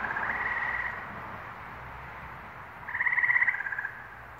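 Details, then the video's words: Frogs calling in New England on May 11, 2023: a softer trill opens, then after a pause a louder bead-like pulsed trill lasting about a second rises above the background chorus. "Frog Songs - New England, May, 2023"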